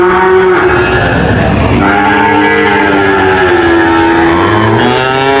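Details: A long drawn cow moo glides slowly downward in pitch before another rising low begins near the end, set against other overlapping mooing and steady noise.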